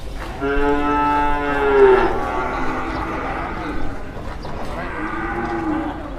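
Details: A jumbo cow that arrived early at an Indonesian livestock market, drawing onlookers: a long, loud, harmonic moo rising slightly in pitch, then a second softer, lower moo after a pause, over faint market murmur.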